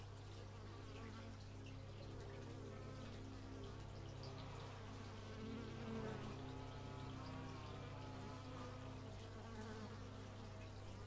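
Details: Bees captured outdoors in stereo with an x/y microphone: overlapping droning buzzes from several insects, wavering in pitch and peaking around the middle, over a constant low hum.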